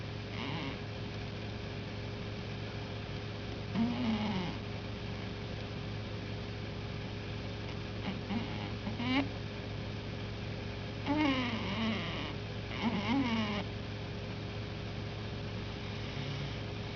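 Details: Peter, a pet cat, asleep and snoring with a loud whistle: soft, wavering whistled tones come in short bursts around four, nine, eleven and thirteen seconds over a steady low electrical hum.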